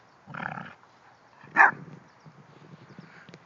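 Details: Female English Bulldog, described as grumpy when she has her bone while another dog is urged on, gives two short raspy growling grunts: a rough burst, a pause, then a louder harsh snarl. Low rustling sounds follow.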